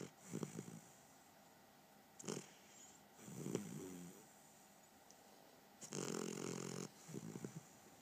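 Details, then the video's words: A puppy asleep gives short, husky snores and wheezy breaths at uneven intervals, including one longer, louder rasping snore near the end, over a quiet indoor background. "Snoring Luna Puppy"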